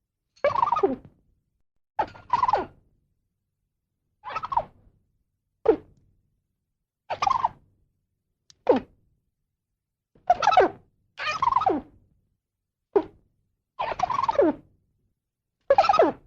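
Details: A squirrel repeats coarse descending squeals and shorter clipped notes, about a dozen in sixteen seconds, irregularly spaced, nothing else audible.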